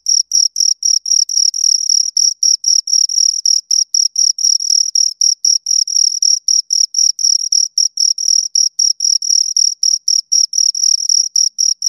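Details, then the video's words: Two crickets stridulating close by, a rapid stream of sharp high chirps in short clustered bursts, very regular and loud, on an otherwise silent background. "Two Crickets Chirp Sounds for Two Hours Right on Your Ears"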